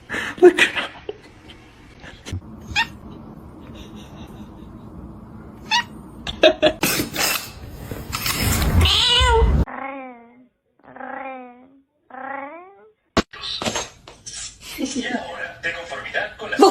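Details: Domestic cat in a funny cat compilation: after clattering household noise, a run of short, downward-sliding meows about once a second, with brief loud bangs and scraping before and after.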